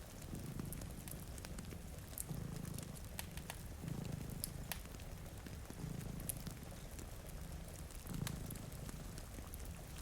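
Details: Sleeping cat, one of a pair in front of a rainy window, purrs in low rhythmic swells about every two seconds; constant rain and intermittent fire crackling sit over the rumble.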